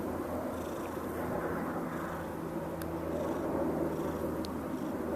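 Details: Whity, a cat settled in a lap for an afternoon nap, keeps purring as a loud airplane passes overhead; a low, steady rumbling purr sits beneath the broad roar of the aircraft, with a few faint clicks.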